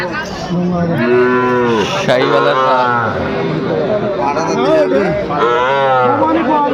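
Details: Young Sahiwal bull about six months old, bought by a farmer at a cattle market in Chattogram, Bangladesh, in December; loud, drawn-out harmonic moos, several overlapping, rising then falling, with crowd chatter behind.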